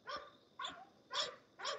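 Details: Four quick, raspy barks from a kennel-raised English Bulldog, about half a second apart, bright and broadband, with a steady low hum in the background and a man speaking afterward.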